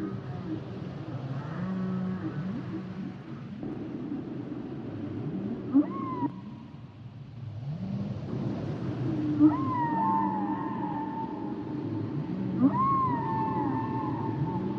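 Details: Humpback whale song with long wavering moans, some sliding upward then holding, higher whistled tones that bend and fall, mixed with lower grunting notes, the background dropping briefly to near quiet midway.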